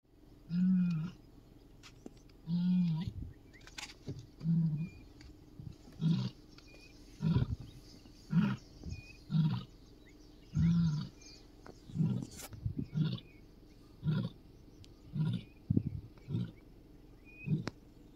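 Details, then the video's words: Lioness calling her cubs: a series of deep, short grunting moans repeated roughly every one to one and a half seconds, low and resonant, with faint higher chirps in the background. "liones calling her cubs"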